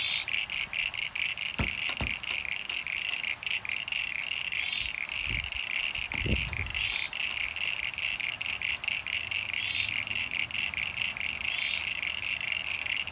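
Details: A dense pond chorus of common eastern froglets and eastern sign-bearing froglets in NSW, Australia, on 9 September 2022 after heavy rain filled hollows, with rapid high clicking and occasional squeaky rising calls from the sign-bearing froglets.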